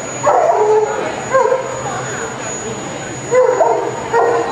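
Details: Klark, a Bernese Mountain Dog at the EDS 2011 CAC show in Leeuwarden, gives four short, tonal, whiny yelping barks spaced about a second apart. A faint constant high electronic tone and hall noise run underneath.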